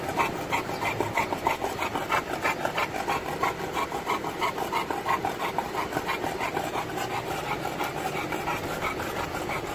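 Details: An Olde English Bulldog riding along in a vehicle on a sunny day, drooling, pants heavily and wetly, about three breaths a second, over low road rumble.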